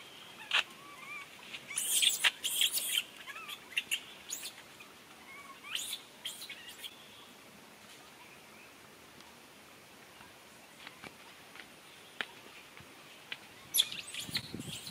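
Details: Little monkey calling for its papa to take care of it: high, thin squeaks and chirps come in scattered bursts, clustered near the start and again at the end, with quiet gaps between.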